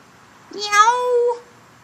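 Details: A single loud meow from a cat dubbed a howler monkey cat: a quick upward scoop into a sustained, even, harmonic-rich wail lasting about a second, then cutting off into silence.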